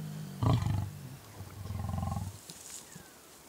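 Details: Wild ageing, limping male lion of the Mapogo coalition keeping a rival male away from a lioness in oestrus; deep pulsed grunting growls in two bursts, the first loud and short, the second longer and rhythmic.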